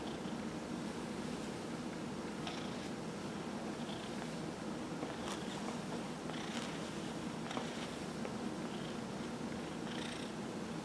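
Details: A 15-year-old domestic cat with lymphoma in remission, purring during a massage in November 2018; steady low rumbling hum throughout with soft rubbing and brushing noises from hands on fur.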